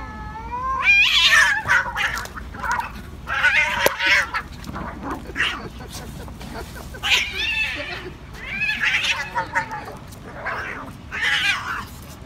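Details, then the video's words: Angry domestic cats fighting: loud harmonic yowls and screeches rising and falling between about one and four kilohertz, in repeated bursts with short gaps, intense and harsh throughout. "ANGRY CATS /FIGHT CATS"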